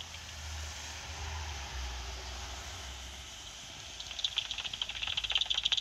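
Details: Two pipistrelle bats, thought to be soprano pipistrelles, echolocate at night through a bat detector with an auto-detected frequency that is not very accurate: a burst of rapid dry clicks after a hissing, rumbling start.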